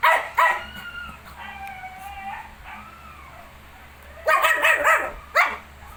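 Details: Shih Tzu with its 19-day-old puppies: two barks, then drawn-out tonal whining and howl-like notes, followed by a rapid cluster of yapping barks and a final single bark.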